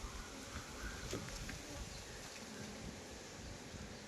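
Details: Steady droning of many honey bees at a beekeeping site in Nellore, India, an even rumbling buzz lasting throughout with a few faint knocks and taps.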